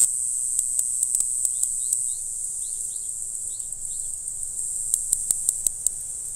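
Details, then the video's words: A Green Island-form Mogannia formosana cicada buzzes a constant high, hissing drone on Green Island, Taiwan, in April, while sharp clicks or taps punctuate it and a few short, thin bird chirps are heard in the middle. "黑翅草蟬（綠島型） 蟬鳴聲"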